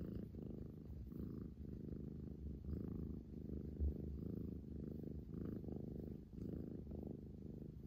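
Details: Hotate, a female Scottish Fold described as a playful attention-seeker, purring on 11 February 2021: a steady, low rumbling purr in rhythmic pulses with each breath, plus light background noise indoors.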